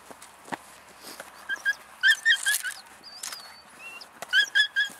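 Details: Female German Shepherd puppy, three months old, from German working lines, giving short high whining whimpers in quick clusters of three to five notes, with a quieter pause between bursts and faint clicks and rustling around.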